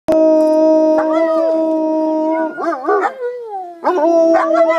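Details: Several German Shepherd dogs howling together: long sustained tones layered in chorus, some voices wavering and breaking into warbling yelps midway before the steady howls resume.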